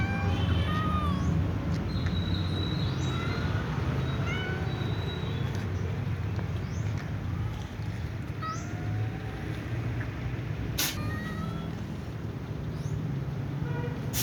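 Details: Several domestic cats jostling before eating, one silver cat with a sneezing cold among them; short thin meows with rising and falling tones come repeatedly throughout over a constant low rumbling hum, with a few sharp clicks near the end.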